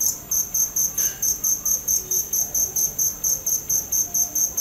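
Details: High, ringing cricket pulses repeating at a steady pace of about four to five a second, with a brief faint noise about one second in.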